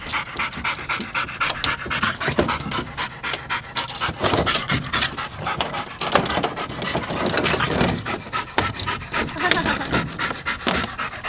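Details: Two yellow Labrador Retrievers play-fighting in the back of a pickup truck; fast, irregular panting throughout, with people talking and laughing nearby.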